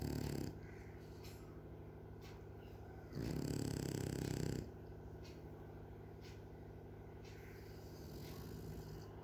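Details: A French bulldog snoring while asleep: a short rough rattle at the start, then one louder low vibrating snore of about one and a half seconds midway, with quieter breathing noise between.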